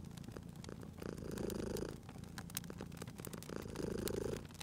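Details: A cute sleeping cat purrs near a fireplace: two clear surges of low, vibrating purr, each lasting close to a second, separated by a softer breath, while the wood fire snaps and clicks throughout.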